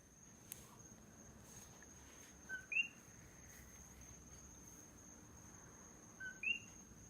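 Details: Nighttime coqui frog on Hawaii's Big Island, one individual: two 'co-qui' calls a few seconds apart, each a brief lower note followed by a sharper rising chirp, against a constant shrill background hum.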